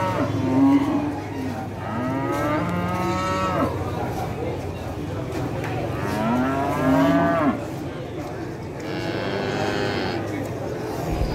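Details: Tame farm cattle waiting to be called give a run of long, wavering moos, roughly one every two to three seconds. Some are deep and others are higher and strained, over steady low background rumble.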